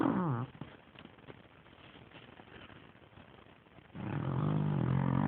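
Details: Sleeping dog Gertie snores: a short rasping snore at the start, a quiet low stretch of breathing, then a loud sustained rumbling snore rising in over the last second and a half.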